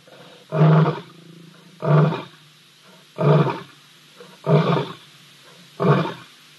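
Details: Grumpy older lion picking on a younger one at Ol Donyo, filmed by a live wildlife camera on 3 March 2023: five deep, rough, growling bursts, each about half a second long, repeated roughly every 1.3 seconds.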